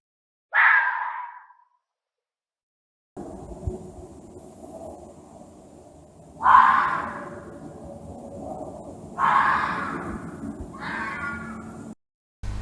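A fox gives harsh, raspy screams, each about a second long, spaced several seconds apart.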